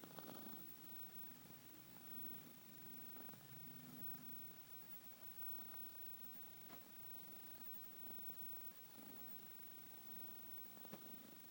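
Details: Kitty snoring in its sleep: a quiet, steady low rumble with faint rhythmic breaths over a constant background hiss.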